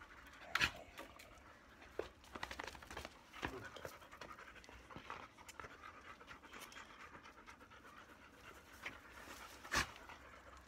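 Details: Black Labrador Retriever named Bee, brushed in shedding season as loose undercoat comes out, breathes in soft, airy, rapid pants under sharp scraping brush strokes and scattered clicks.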